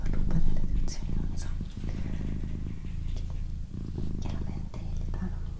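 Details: Close, resonant purr of a female house cat indoors, a droning low rumble with short dips roughly every one to two seconds at each breath, and soft whispered words in the background.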